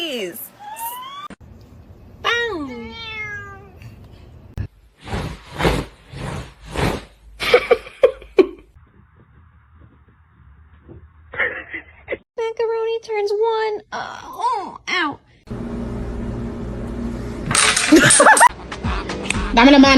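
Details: Kitten giving thin, falling meows and a wavering, trilled cry, mixed with people talking, then later a cluster of short high mews before noisy rustling at the end.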